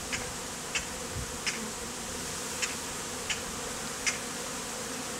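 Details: Honey bees forming a beard on a person, taken from a statue hive, in the heat; an even, unbroken low hum with soft ticking clicks roughly every two-thirds of a second.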